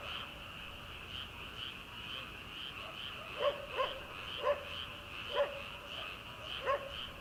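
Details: Early-summer paddy-field frogs at night, before rice planting, keep up a continuous throbbing chorus of fast pulsed croaks; from midway a far-off farm dog barks about five times.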